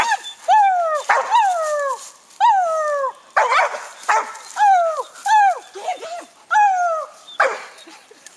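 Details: Young hound treeing a raccoon, barking for one of the first times at the tree; loud, repeated bawling barks that drop in pitch, roughly every second, with a man's encouraging voice in between.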